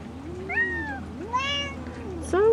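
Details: Mother Bengal cat, reassured by her owner about her baby kitten, gives three separate meows: one gently falling, one louder and rich, and a rising final one. A woman's soft voice runs underneath.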